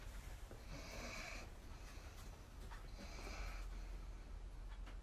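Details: Sleeping dog snoring on a sofa during an evening cuddle while its brother dog sits on top of it: low rumbling breaths with two hissing, airy snore bursts about two seconds apart.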